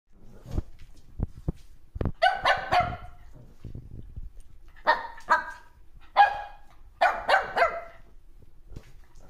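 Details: Shih Tzu puppy playing with its mother, giving a series of short, bright yaps and barks in bursts, several in quick succession, with soft thumps and scuffling between them.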